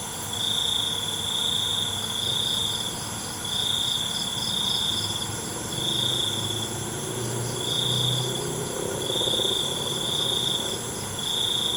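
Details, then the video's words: Night crickets keep up a bright, shrill trill broken into roughly one-second phrases, with a softer throbbing buzz layered above and a low murmur of background noise underneath. "ALUNAN CENGKERIK MALAM"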